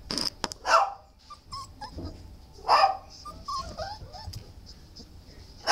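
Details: Shelter dog letting out sharp barks spaced about two seconds apart, with soft whines and clicks of movement in between and a final bark at the end.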